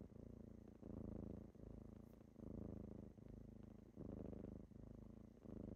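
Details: Morning purring from kittens as they wake someone up: a close, even rumble pulsing in and out about forty times a minute, in a quiet small room.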